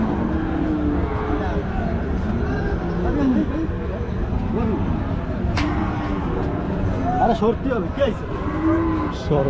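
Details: Milking cows at a busy village cattle market give repeated low, wavering moos, some bending upward then down, against steady background talk and market noise.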